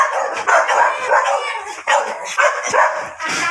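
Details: Near-continuous loud yelping from a miniature dachshund during mating at Baybay Lopez, Binmaley, Pangasinan, in repeated rough bursts roughly every half second with hardly a break.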